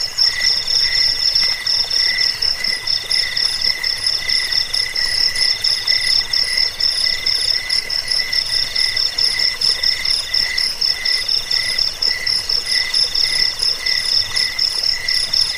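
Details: Cricket calls meant to scare off rats, help sleep and train birds: unbroken high pulsing trills from multiple crickets, layered and steady throughout.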